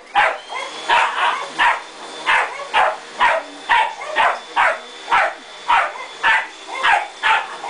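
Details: Pet terrier that hates the vacuum cleaner barks rhythmically, about two barks a second, over a constant high-pitched machine drone.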